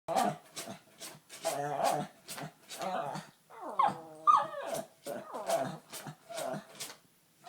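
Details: Agitated pet dog indoors making unusual noises instead of barking: a rapid series of short huffing grunts and yelping, wavering moans, irregular and throaty, in a small room.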